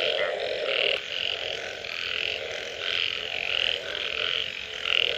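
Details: Frog chorus following rain, with clearer separate croaks standing out: bright, nasal bursts repeat roughly every half second to second, rising and falling in loudness over a steady background hum.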